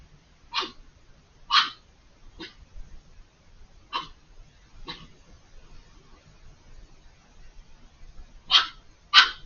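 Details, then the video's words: Fox screaming from behind a hedge, out of sight, very vocal for several minutes at night with eyes glowing in the dark; seven short, harsh, rasping shrieks at irregular intervals, paired near the start and end, over a quiet background. "The chilling sound of a fox screaming"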